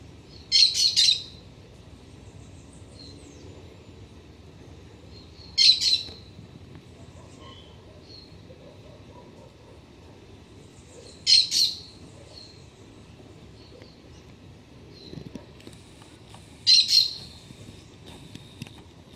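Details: A black-tufted marmoset (Callithrix penicillata) in a garden on a mild autumn day gives brief, very high, twittering bursts about every five to six seconds over a faint low hum. It arrives when the sun reaches a Citharexylum myrianthum trunk.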